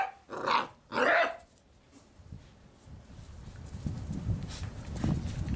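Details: Six-week-old Labrador Retriever puppies: two sharp, loud yelping barks in quick succession within the first second and a half, followed by quiet low rustling and shuffling noises.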